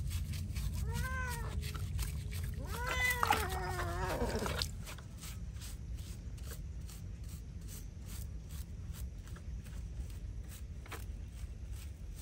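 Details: Feral cat being bathed meows repeatedly: one clear meow, then a quick run of strained, wavering meows that fade out, leaving a low rumble with light ticking and clicking noises.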